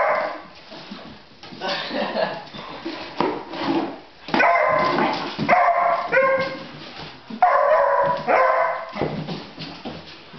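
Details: Echo, a pet beagle puppy aged 9 months who is terrified of baskets, lets out a string of ringing, harmonic bays and yelps, several in quick succession, with some quieter background talk between them.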